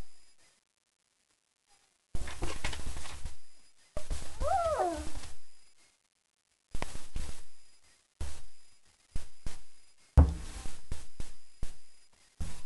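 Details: German Shepherd pups at four weeks old, freshly fed; a short bending whine in the middle between bursts of loud low bumping and rustling, separated by quiet pauses.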